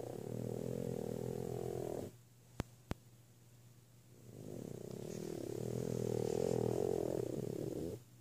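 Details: An 8-month-old female French Bulldog sleeping in the morning snores in long, low, rattling breaths separated by a quiet pause.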